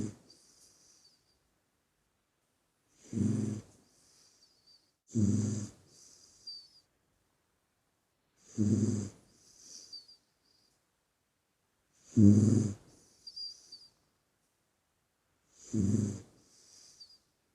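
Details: Sleeping puppy snoring in deep slumber: five low, rumbling inhaled snores come roughly every three and a half seconds, each followed by a soft, whistling wheeze on the breath out, with quiet between.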